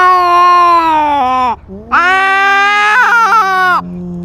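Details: Territorial cat fight caught on a cat-mounted GoPro: a steady wail that dips and breaks off, then a second rising, wavering howl with a trembling end, followed by a lower drawn-out moan.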